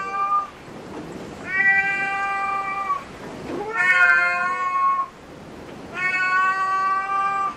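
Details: Cat at a cat cafe meowing three times in a row, long sustained wails of one to one and a half seconds each, the middle one higher and bending, with short quiet gaps between.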